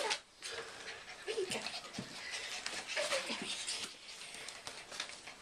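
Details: English Bull Terrier puppies, five weeks old, making a few short, high whimpers alongside steady panting, with constant rustling and scuffling noise throughout.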